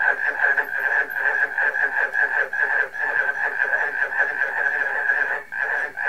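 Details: Frogs and barking crickets in full chorus, pulsed croaking notes tumbling over each other in uneven bursts, with a short lull near the end before the calling swells again.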